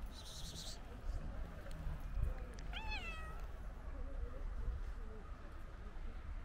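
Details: Stray white cat coming up to a person, a single short bending meow in the middle, with a brief high hiss-like sound near the start and constant low background rumble.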